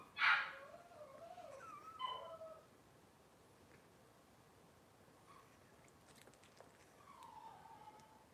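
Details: Cavalier King Charles Spaniel puppies from Robin's litter, on an indoor kitchen camera. A sharp, loud high yelp opens, followed by wavering whiny whimpers near two seconds and a softer, drawn-out whine near seven seconds, over a quiet background.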